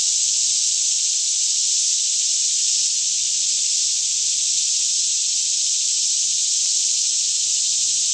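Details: Cicadas chorusing in daylight throughout a green forest near Franklin, Kentucky, around 10am with the air fairly still, filmed on a Canon 5D Mk2: a continuous high-pitched hissing buzz without gaps, faint low hum in the background.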